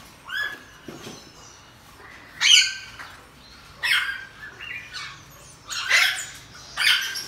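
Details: Household pygmy marmoset with two newborn young: a few separate rasping squawks roughly one per second, each with a bright high whistle layered on top, quiet pauses between.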